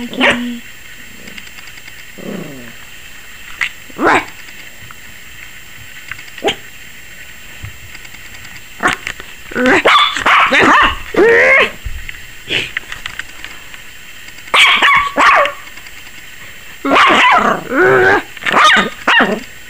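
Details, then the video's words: Yorkie puppy Maggie, 21 weeks old, seemingly frightened by the camera: scattered soft sounds at first, then rapid clusters of shrill yapping barks through the second half, with brief gaps. "Maggie Yorkie Puppy 21 Weeks Barking like CRAZY! and scared of the camera"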